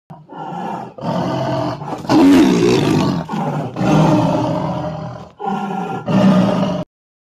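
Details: Bengal tiger (Panthera tigris tigris), roar.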